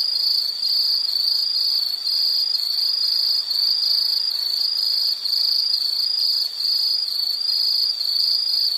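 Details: Continuous high insect trill broken into rhythmic pulses, about two per second, with brief dips in loudness now and then; a constant natural ambience without other animals or voices.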